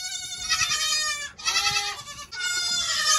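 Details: Young goats from the 2022 kidding season: three loud, drawn-out, quavering bleats, strongly harmonic and buzzy, each lasting about a second, following one another almost without a break.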